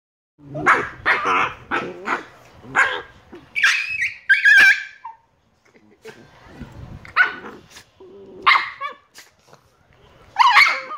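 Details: Two Shiba Inu puppies, Niro and Kyno, 118 days old; sharp high-pitched barks and yelps come in irregular bursts, a few shrill squeals near the middle and end, with a quieter gap partway through.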